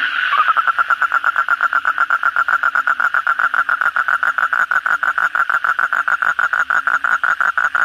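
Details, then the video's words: Kodok bangkong frog calling at night after heavy rain, a loud steady series of short pulsed croaks repeated roughly five times per second, with a fainter chorus of other frogs behind. "suara kodok bangkong pada gacor setelah hujan lebat malam hari"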